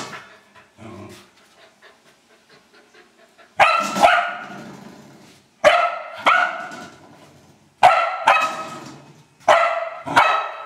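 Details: Old English Sheepdog having fun with a trash can; after several seconds of soft clicks and low rustling, four loud, ringing barks, each quickly followed by a short second bark, about two seconds apart.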